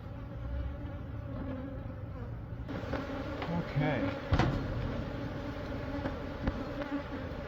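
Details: Droning hum of many honey bees from a months-old colony being removed from a church building wall in Monrovia to go to a beekeeper. The hum is low and steady, swelling slightly midway, with a few sharp knocks.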